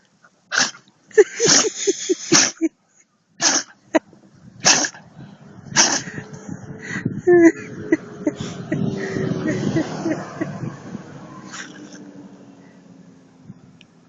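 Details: Female Husky with a fit of sneezing: several sharp, explosive bursts in the first seconds, followed by a long stretch of human voices and background chatter.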